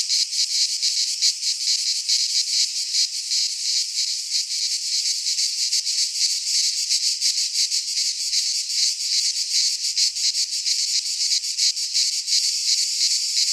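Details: Singing cicadas in a Greek pine forest at midsummer: a continuous, piercing buzz with fast irregular pulsing from many insects, even in loudness across the whole stretch.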